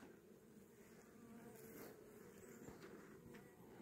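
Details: Honey bees of a caught swarm, being given a young queen, buzzing in a steady low continuous hum throughout, with a person talking nearby.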